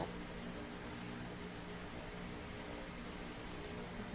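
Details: Only a quiet, steady hiss with a faint low hum runs throughout, with no sneeze or other animal sound.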